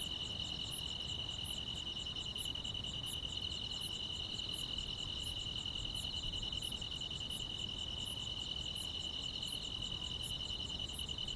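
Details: Grass insects sing through a summer night, a level shimmering trill layered with crisp high chirps beating regularly about every 0.7 seconds, steady in loudness from start to finish.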